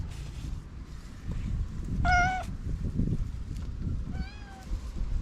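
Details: Orange male cat waking from a nap with a lot of yawning, giving a short clear meow, then a softer, slightly rising second meow, over low rumbling background noise.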